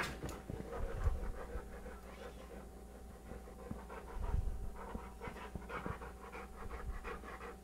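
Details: American Bulldog Bulka (3.5 years, 100 lbs) play-fighting with Beagle Maxwell (11 months, 25 lbs) on a sofa; rhythmic rough panting with scattered snorts and soft thuds, constant faint hum in the room.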